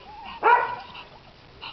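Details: Pekingese puppy playing outdoors on its first day outside: one sharp, high, harmonic yip, brief and loud, set against quiet background chirps.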